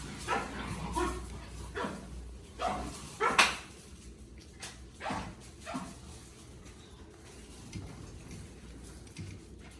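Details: Vera's puppies, 45 days old, give short, sharp yips and barks. Bursts come irregularly over ten seconds and are loudest and densest in the first half. Faint room noise sits underneath.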